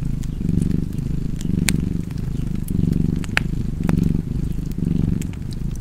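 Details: Rumbling cat purr with rhythmic swells about every second, steady throughout; fireplace pops and crackles punctuate the background.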